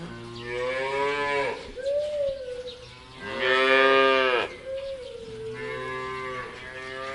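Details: Cows on a farm in Taiwan give several long, harmonically rich moos, each swelling and then falling away.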